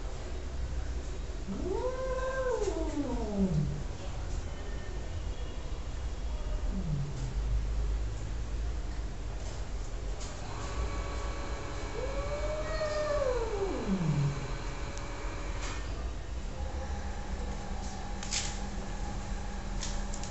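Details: Cat giving two separate, fairly quiet rising-then-falling meows about ten seconds apart, with a brief faint cry between them, over steady low-frequency background hum and faint clicks.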